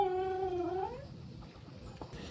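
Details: Talkative Belgian-Labrador dog giving a short whining, talking-like call that dips slightly and then rises over about one second before fading. The room is quiet afterwards.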